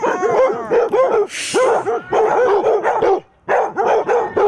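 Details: Several Basset Hounds, eight in the pack, bark and bay together at a mechanical Halloween cat while defending against it; deep, rapid overlapping woofs in bursts, with a brief hissing noise in the middle and a short pause near the end.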